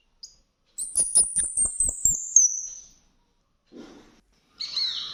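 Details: Orphaned baby squirrel, too young to open its eyes, fed milk several times a day after rescue, squeaking when full: one long piercing high whistle drifting down in pitch with quick ticking clicks beneath, followed by short handling noises.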